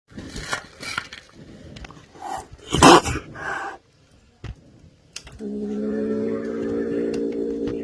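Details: Angry kitten growling and attacking: sharp broadband hissing and spitting bursts for about four seconds, a short pause, then a steady, low, tonal growl held unbroken from about five seconds to the end, indoors.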